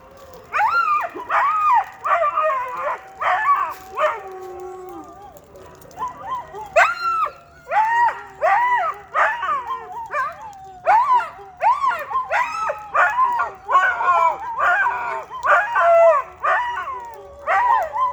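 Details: Several pet dogs howling together in a chaotic chorus: overlapping wavering howls and sharp yipping barks in quick bursts, rising and falling, with brief pauses between loud surges.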